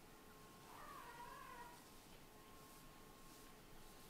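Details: Domestic kitten, one of a litter of Scottish Fold and British Shorthair siblings snuggling together to sleep on a fluffy bed indoors; a single soft, wavering meow lasting about a second, over quiet room hiss.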